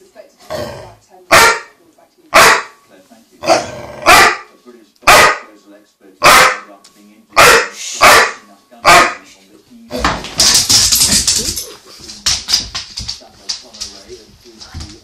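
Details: Chocolate Labrador Ben, upset after losing his toy under the sofa, lets out about ten loud, abrupt barks at a steady pace indoors. A burst of jumbled noise and voices follows, with a few more barks.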